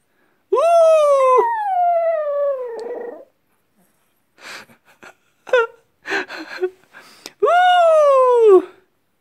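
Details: Pet dog howling like a wolf: a long, high tone sinking gradually, then a stretch of short yelps and rough bursts, then another rising-then-falling howl.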